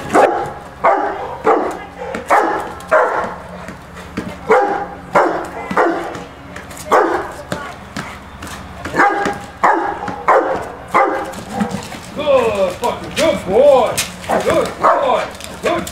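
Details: Rottweiler on its first day of object-guard training, guarding a rubber bowl with the handler close behind for encouragement; loud barks repeated roughly every second and a half, then a handler's praise near the end.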